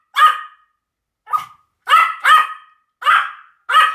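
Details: Small-dog barking from a Pomeranian: six quick, high yaps, some in a close double, the rest separated by brief silences.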